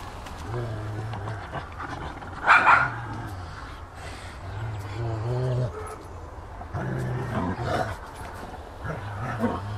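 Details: Dogs at play in footage from 2009, a mixed group of rottweiler, akitas, rough collies and a Japanese spitz; low rumbling growls in short bursts, a sharp higher yelp near the middle, with a human voice mixed in.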